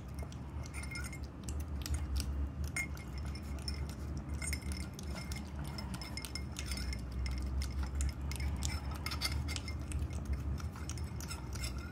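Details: Clinking of dishes and cutlery over a low rumble, with no animal sound. Light metallic taps and chinks repeat throughout, and no calls or voices stand out.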